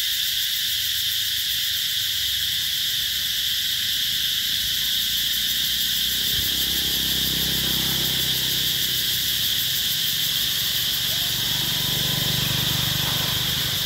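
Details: Cicadas heralding summer at the Mỹ Luôn eco-tourism site in 2021 keep up a constant high, shrill buzzing drone, while low rumbling sounds rise beneath it in the second half.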